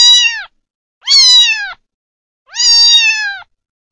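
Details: Kitten, a young domestic cat, giving three clear, high meows. Each lasts about half a second to a second, starts bright and slides slightly downward, and they come roughly every second and a half in silence.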